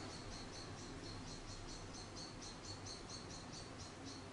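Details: Orphaned baby grey squirrel named Charlie, found in a garden at about a week old after falling from its nest, hand-reared and now sleepy; faint, high squeaky chirps repeat rapidly, about three a second, over a low background hum.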